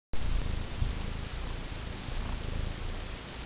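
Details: Calico cat cuddling on a lap beside a computer desk, purring: a low steady rumbling pulse throughout, softly waxing and waning, beneath a hiss of broad background noise.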